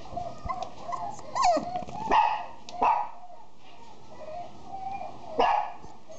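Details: Female Miniature Dachshund letting out three sharp, high yipping barks, spaced about a second or more apart, with soft whining and whimpering between them in a quiet room.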